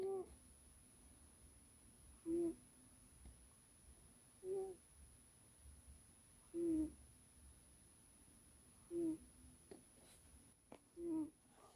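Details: A sleeping cat named Arby snores indoors, giving a short soft nasal snort roughly every two seconds in an otherwise quiet room.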